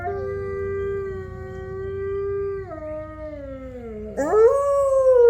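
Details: A captive gray wolf pack of five at Wolf Hollow howls together, with neighbouring enclosures also heard: long, sustained tones that slide downward, then a higher voice rises in.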